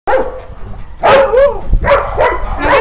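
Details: Domestic dog indoors, recovering from an operation, giving a few short harmonic yelping barks with bending pitch in two bursts about a second apart, while a woman speaks Romanian nearby.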